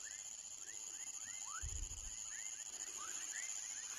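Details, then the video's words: Young frogs calling in a chorus of quick, rising chirps repeated several times a second, backed by a continuous shrill insect whine and a short low rumble near the middle. "Som de Rã filhote / Baby frog sound"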